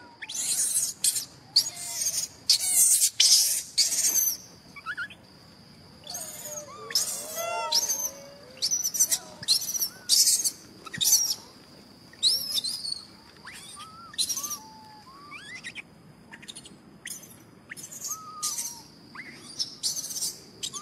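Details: A pampered young macaque whistling angrily when he disagrees: repeated short, high whistled calls that rise and fall, mixed with harsh noisy squealing bursts at irregular intervals throughout.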